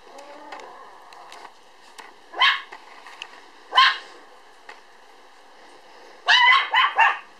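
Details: Standard Poodle puppy, born 1 July and weighing 3.8 kg, recorded on 5 September: a few sharp high yelps scattered through quiet stretches, the last three bunched close together near the end.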